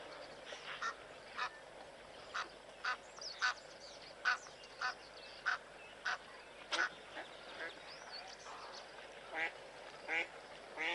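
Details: Blue wildebeest stampeding away from a male lion; a steady series of short nasal honks roughly every half second, several animals calling over a soft background hiss.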